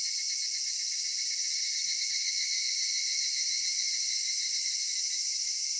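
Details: Cicadas singing on a summer evening at dusk in a cedar forest: a dense, unbroken high-pitched shrill drone layered in bands, steady in loudness throughout, with no other clear sounds.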